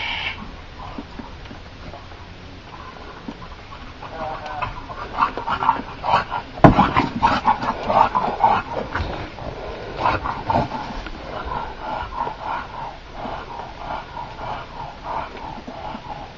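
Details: Eight-month-old bulldog pup during the first snow in Takilma, Oregon, December 13, 2008: rhythmic snorting, grunting breaths repeated about twice a second, louder in the middle, over steady background noise.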